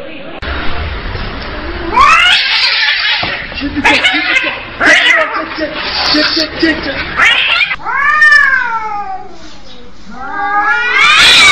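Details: Cats in a fight, with harsh overlapping screeches and hissing at first, then rising-and-falling wailing yowls; a person's voice is mixed in.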